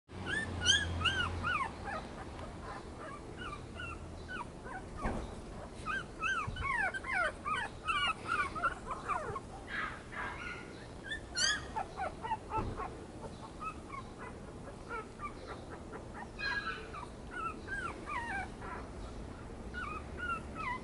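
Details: Yorkipoo puppy whimpering: a long run of thin, high, squeaky whines, many sliding up then down, coming in quick irregular clusters, with soft thumps and handling noises in between.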